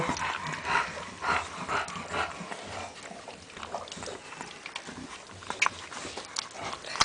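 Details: Bulldog puppy from Tyhill giving a run of short whimpering yelps about every half second early on, then quieter snuffling, with soft human voices close by.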